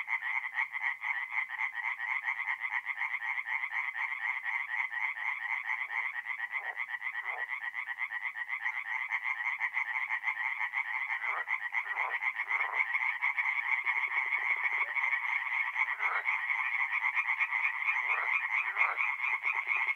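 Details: Massed tree frogs singing after dark at a forest pond in north-east Italy, mid-April; rapid pulsed croaking runs throughout, with occasional lower, deeper croaks breaking in from nearer frogs.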